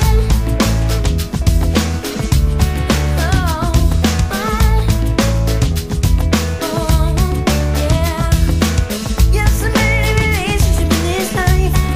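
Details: Loud upbeat pop music with a driving beat and melodic lines fills the whole stretch, with no animal sound heard.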